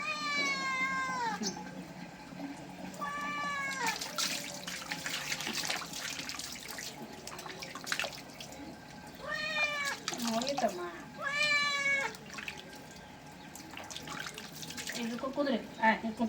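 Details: Cat being bathed, giving about six drawn-out, complaining meows at irregular intervals, some rising then falling and others wavering, over splashing water, soft music and occasional human voices.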